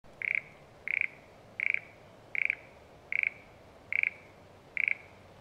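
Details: Frog calling in the satoyama countryside, Japan: a short rattling, pulsed croak repeated seven times at steady intervals of about 0.8 seconds, with a quiet background hiss between calls.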